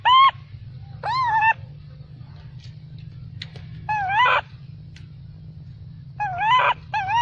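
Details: Baby macaque shouting angrily after its mother refused it milk: four loud, clear, harmonic wavering calls, each about half a second long, separated by pauses, over a steady low hum.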